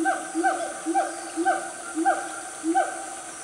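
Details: Siamang family in Gunung Nuang forest, Selangor, Malaysia, at about 10 am on a cool morning. Short hoots, each with a quick upward whoop, repeated about twice a second in an uneven rhythm.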